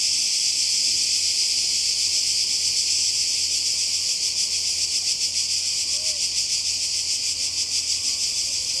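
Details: Croatian seaside cicadas in summer 2020 keep up an unbroken, piercing buzzing drone with quick rhythmic pulsing, and one faint short whistled note sounds briefly near the end.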